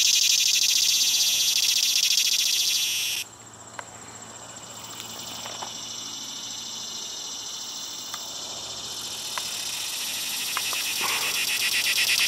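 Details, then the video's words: Cicada song recorded at PCP, 3 September 2020, with a 17-year emergence suggested: an intense high buzz drops suddenly to a softer, lower-level drone after three seconds, with faint clicks, then swells loud again near the end. "Cicada Singing"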